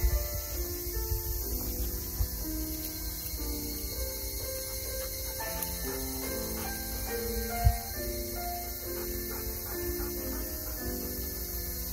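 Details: Steady instrumental music with plucked and sustained notes over a low constant hum, with no animal voice audible.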